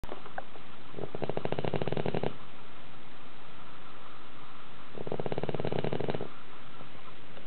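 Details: A pet dog sleeping soundly indoors in a tilted house, snoring as loudly as a middle-aged man. Two rasping, rattling snores, each about a second long, are separated by a quiet pause of a few seconds.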